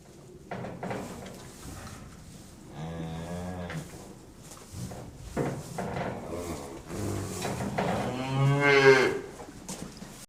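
Cows give several long, low moos, rich in harmonics, one after another.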